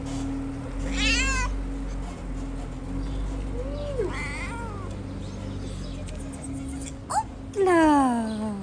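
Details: Young kitten at a small Moroccan shelter for abandoned kittens, wanting to play, gives several meows: a rising-falling cry near one second, a lower one at four, a short chirp, then a long descending meow, over a steady low hum.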